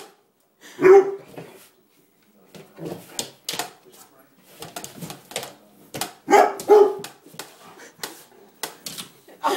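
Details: Young dog tussling with a broom inside a small room: sharp bark-like yelps near the start and a pair of louder barks later, mixed with brushing, scraping floor sounds and a little human voice.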